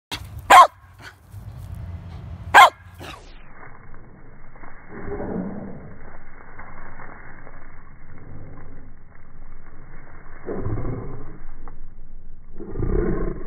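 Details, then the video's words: A corgi gives two sharp, loud barks, then deep, drawn-out slow-motion versions of its voice that sound like a tiger. "Corgi Barking in Slow Mo"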